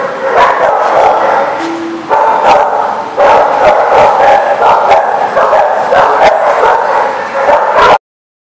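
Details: Many dogs barking together continuously, a dense overlapping chorus of sharp barks and yips with no pauses; one steady whine briefly rises above the din.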